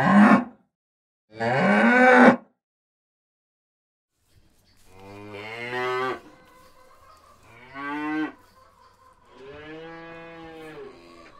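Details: Cattle in the field calling repeatedly: two short, harsh bellows early, a quiet gap, then three longer harmonic moos in a row, each wavering in pitch, with low continuous background hum between them.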